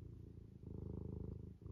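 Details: House cat in loaf position purring contentedly, a deep, throbbing rumble with rapid even pulses and a short break near the end as it breathes.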